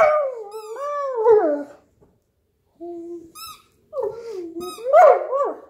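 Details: Stretched out on the couch, Newfoundland Hugo plays with his squeaky toy, producing a long howl-like wavering moan, a short pause, then more bending grumbles mixed with quick high squeaks.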